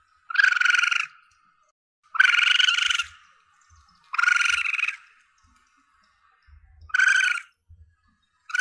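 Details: Young Asian palm civet (musang pandan) used as a hunting lure sound: four to five rough, buzzy squeals of under a second each, coming about every two seconds, with a few faint low thumps between them.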